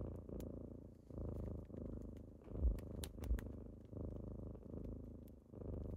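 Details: Purring kitten in the morning, waking its owner at home: deep continuous rumble broken into breath cycles roughly every second, with two short sharp taps midway.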